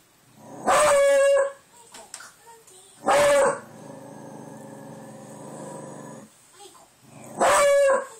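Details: Domestic dog howling at the door, upset by the wind outside, an outburst that went on for over three minutes; three loud, tonal, steady howls of under a second each, spaced a few seconds apart, with softer whines between.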